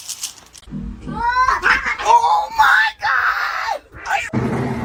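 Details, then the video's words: Kitten meowing and crying in a funny cat compilation: a run of drawn-out, wavering meows that rise and then arch downward over about two seconds, overlapped by human voices and background music. "kitten meowing crying"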